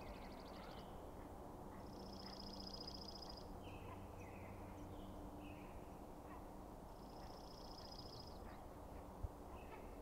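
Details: Elk bugles at night as the Sheriff, the largest bull, faces a challenging bull with several other bulls nearby; two high, buzzy pulsed whistles about five seconds apart, short lower sliding notes between, over a steady low rumble.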